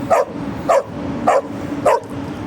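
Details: Dogo Argentino on an evening walk, meeting a street dog, gives four quick sharp barks about half a second apart over a low constant hum.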